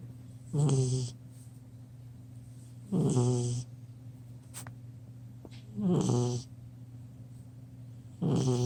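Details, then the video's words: Buddy, a 10-week-old chocolate Lab puppy asleep on a couch, snores rhythmically: four rasping, low snores at roughly two-and-a-half-second intervals, each a rough breath lasting about half a second, with a steady room hum beneath. "10 Week Old Lab Puppy Snoring"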